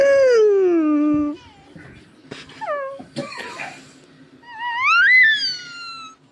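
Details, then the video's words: Indoor cat meowing: a long, drawn-out falling meow, then harsh coughing sounds, then a second meow that rises and falls. "Кот мяукает"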